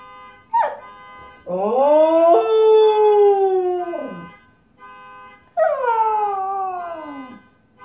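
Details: A Siberian husky howls in response to a car alarm, giving two long, wavering howls that rise, hold, then slide down in pitch.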